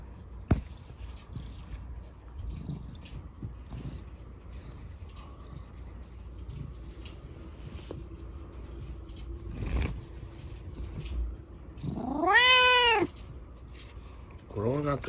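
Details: Indoors at night, a quiet stretch with faint soft sounds gives way to a single clear rising-falling meow, with another starting at the end, from Chico, a rescued kitten crippled in an accident, enjoying dad's bedtime scratching.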